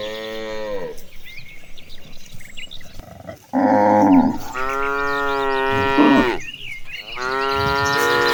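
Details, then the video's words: Herd of tame cattle walking toward the pasture, lowing repeatedly: four long harmonic moos about every two seconds, the later ones loud and sustained, with faint bird chirps above. "A Herd of Cows Marching Toward the Pasture, the Sounds of Tame Cattle"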